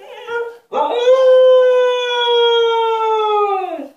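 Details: Husky confined to an enclosure as punishment, demanding to be let out: a short yelp, then one long, steady, richly harmonic howl held for about three seconds before dropping at the end.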